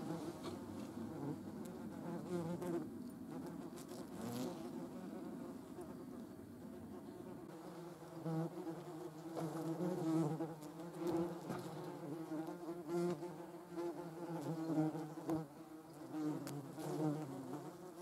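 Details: A European hornet (Vespa crabro), seen alongside German wasps, gives a low, droning wing buzz that wavers in pitch as it flies close by.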